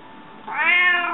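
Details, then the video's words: A hungry pet cat calls indoors with a single meow that starts abruptly, swells quickly and holds a bright, richly harmonic tone that bends slightly downward toward the end. "Runājošais kaķis,Talking Cat"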